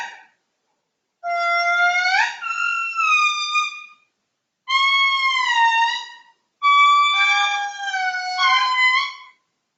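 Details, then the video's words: Haunting wails of a wild indri in Madagascar, recorded from directly beneath the animal: three drawn-out, harmonic phrases that swoop upward, then sag and bend, each lasting two to three seconds with brief gaps between. "And I'll go ahead and take a moment to play a little bit of what it sounds like to be standing right underneath a wild INDRI."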